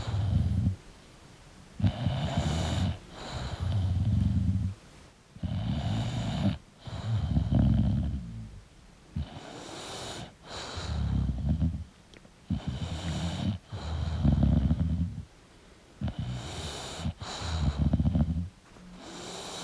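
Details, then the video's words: Deep, rattling snores from a sleeping English bulldog, evenly paced about every two to three seconds, each a low guttural rumble followed by a quiet breath. "English Bulldog Sleeping & Snoring Sound"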